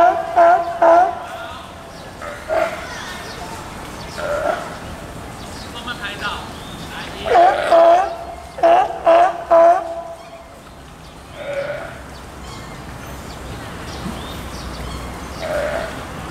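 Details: California sea lion pup about two weeks old, born June 20, nursing at Tennoji Zoo in Osaka, Japan, filmed July 5, 2014; short, steady-pitched bleating calls come in quick bursts of three or four, with quieter murmuring sounds between them.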